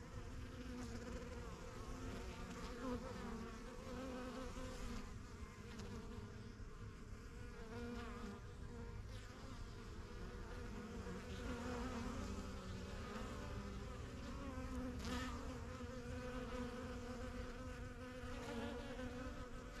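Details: A crowd of honey bees buzzing around their yellow backyard hive, the strongest of several new hives started in spring 2023; constant low hum with single bees zipping close and fading away now and then.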